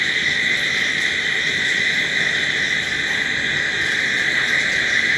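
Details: A nighttime cricket chorus forms a steady, shrill, ringing hum with no pauses. Soft high flickers come and go on top, and there is no music or speech.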